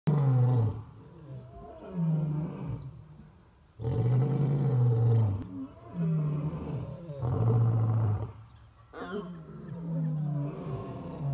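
A lion roars in deep, rumbling bursts, each lasting a couple of seconds with brief pauses between.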